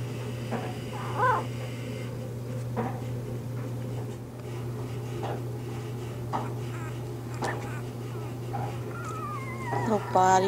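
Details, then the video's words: Newborn Bernese Mountain Dog puppies from Bear's litter, in their first three days, make sparse short squeaks and a longer wavering whine near the end, with a steady hum behind. "Bernese Mountain Dog Puppies-First Few Days"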